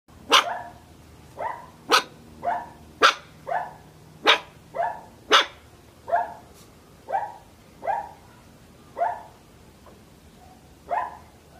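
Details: Little dog barking in short, sharp yaps, about fifteen in a row spaced roughly every half second to one second, each bark bright and high with a quick clipped ending.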